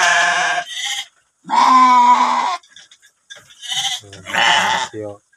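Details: Penned domestic sheep, a domba jalu offered for sale in a stable, give loud, wavering, nasal bleats of about a second each, three in turn, with a man's voice talking quietly between them.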